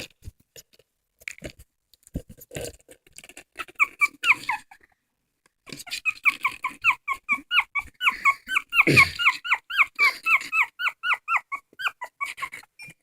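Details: Dog crying indoors with a long run of rapid, high squeaky whimpers, each short and bending downward, repeated several times a second, with rustling and handling noises throughout.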